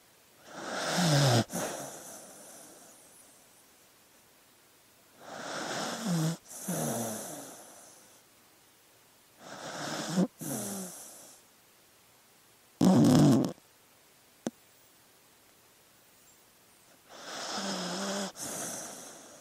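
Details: Dog asleep, drawing steady, heavy breaths: five rasping, snore-like breaths spaced roughly every four to five seconds, some carrying a low buzzing rumble, with near silence between them.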